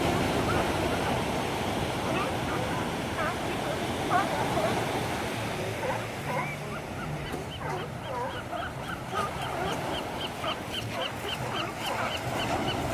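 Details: Seals playing at La Jolla Cove in San Diego, California, give repeated hoarse, wavering calls over steady crashing surf.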